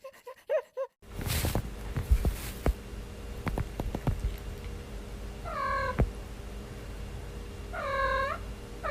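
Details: Domestic cat yawning, from a compilation of lazy cats and kittens gathered from TikTok: two drawn-out, arching meow-like yawns late in the clip, each rising then falling, preceded by short faint calls and scattered thumps and handling noises.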